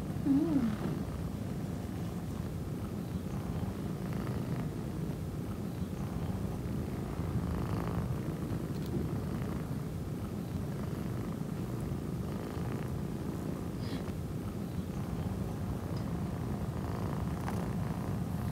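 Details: Orange tabby male kitten giving a long, even purr, a deep rolling vibration that holds steady for the full eighteen seconds with only slight swells in loudness.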